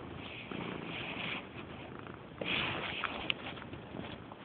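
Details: Purdy, a female pet cat who purrs very loudly and rubs insistently against people, purring in a steady breathy rumble that swells in waves, growing louder around the middle, with a few faint clicks and rustles.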